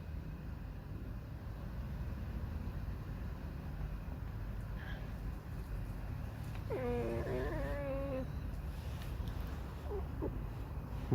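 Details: Pet fox named Alisa, squeaking and singing a mournful, whining 'song' while irritated; a single wavering, quavering cry lasting over a second, rising and falling, heard over steady low background rumble.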